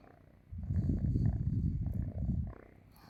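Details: Sleeping cat lying on its owner's stomach gives a steady, deep, rattling purr lasting about two seconds, with a brief dip in the middle, then fades back to near quiet.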